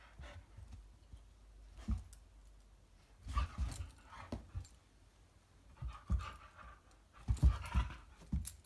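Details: Belgian Shepherd named Eski, indoors, wanting a Maine Coon kitten to play; bursts of breathy panting and soft huffs come in irregular clusters, with scuffling and small knocks in a small room.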